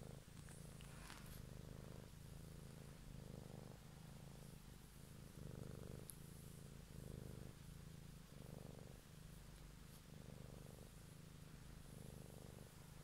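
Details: A pet cat purrs contentedly in the evening, recorded closely as ASMR; the low vibrating rumble swells and eases in regular breath cycles just under a second long, with light rustling at the start.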